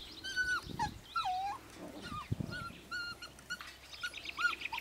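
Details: Siberian Husky puppies six weeks and four days old, a litter giving high whistled whines and squeaks, some rising then falling, overlapping in quick succession with soft scuffling.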